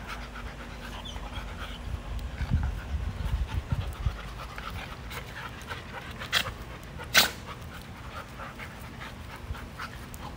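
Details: Playing dogs in the yard give rough, irregular pants and huffs, loudest around the second to fourth seconds, with a sharp knock near seven seconds against a low background hum.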